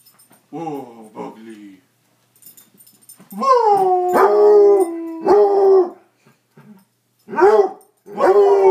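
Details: Pet dog in a howling contest with a person: a few short low wavering notes, then a long howl that swoops up and levels off for about two seconds, a second held howl, and brief rising howls near the end.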